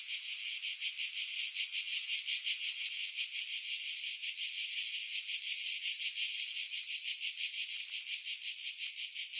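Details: Cicadas singing in pine trees about 50 m above the sea at Pefkos Bay, Skiros Island, Greece, in July 2018; a dense, buzzy, high-pitched rasping chorus pulsing rapidly and continuously, with heavy filtering after wind buffeting.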